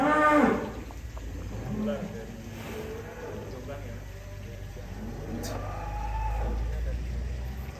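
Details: Huge 'monster-class' cattle kept in a pen in Indonesia, offered for Eid al-Adha sacrifice. A loud burst opens, followed by low, drawn-out mooing that swells into a deep rumbling moo near the end over steady background noise.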